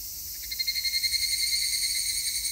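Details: Higurashi cicada recorded on 3 August 2021, singing a shrill, high-pitched pulsing trill whose rapid beats swell in the middle of the clip over a steady high buzz.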